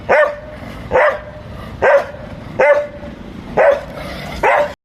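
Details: Playful Labrador Retriever giving six loud, ringing barks spaced about one second apart, each bark short and sharp with a tonal edge, steady rhythm throughout, quiet room noise between them.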